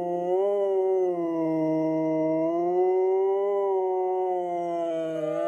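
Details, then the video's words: Two pet Siberian Huskies howling together in an unusually low voice, one wearing a cone after minor surgery; long steady overlapping tones with slow gentle wavering, a lower voice and a higher one sustained throughout. "Husky singing a duet in baritone"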